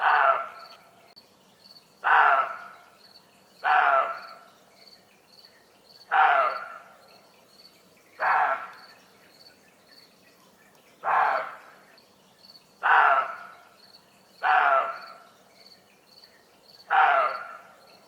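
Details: A frightened deer at 1:30 am in Germany, disturbed by people or animals, gives nine rough, rasping barks about every two seconds, while crickets keep up a fast high pulsing trill behind.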